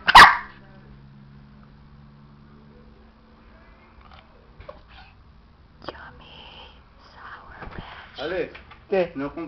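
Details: Pet dog named Nova gives one sharp, loud bark right at the start, followed by a low steady hum, scattered clicks, and human voices talking toward the end.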